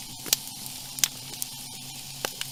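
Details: Snapping shrimp make a steady underwater crackle of sharp pops, with louder crunches from a ray crushing a mollusk as it feeds, in Sarasota Bay, Florida.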